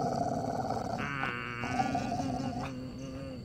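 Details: Angry pet Labrador growling at night in India while its owner scolds it and calls it home; a long, rough, continuous growl rising into harsher snarling bursts midway, lasting over three seconds.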